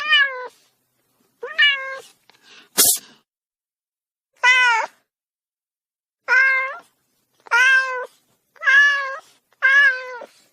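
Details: Eight short domestic cat meows, each bending up then down, spaced about a second apart, with one sharp knock early on.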